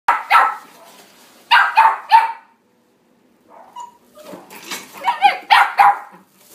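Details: Male red Toy Poodle born 12 January 2019, barking in short bursts of two to three sharp yaps separated by pauses, with some quieter whining sounds in between.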